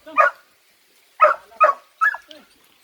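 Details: Belgian Malinois, an athletic dog, in the Philippines, giving four sharp, mid-pitched barks: one alone, then after a pause a quick pair and a final bark that trails into a short whine, with a quiet background.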